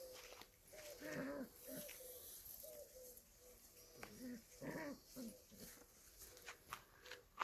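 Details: Kangal puppies at play: a series of short, whiny yelps and squeals, each under half a second, repeated irregularly over quiet outdoor background hiss.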